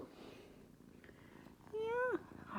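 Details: Kitten on a cat tree meowing for attention indoors: one loud, clear meow that holds steady and then drops sharply at the end, heard over soft purring in a quiet room.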